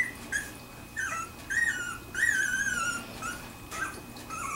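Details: Two-week-old Wirehaired Pointing Griffon puppies from a kennel litter, squealing and whimpering in high, wavering whines that slide downward, several overlapping cries across the stretch with brief pauses between.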